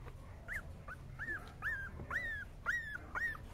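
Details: Whining male Cavalier King Charles Spaniel, giving a series of short, high, arched whimpers, each rising sharply then sliding down, roughly two per second, with a faint low hum behind.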